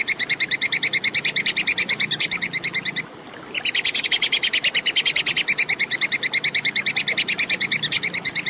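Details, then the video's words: Sharp, fast clicking chatter from a Plantain squirrel, made as a clear master recording for contest birds. Notes come in a rapid even series, pause briefly after three seconds, then resume at the same pace. Soft background hum. "SUARA TUPAI KEKES JERNIH"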